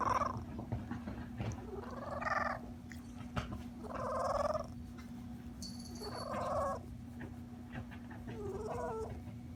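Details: Pet domestic cat making weird purr-like noises: five short harmonic calls, each under a second, with rising and falling tones repeated every two seconds or so, over a steady low electrical hum.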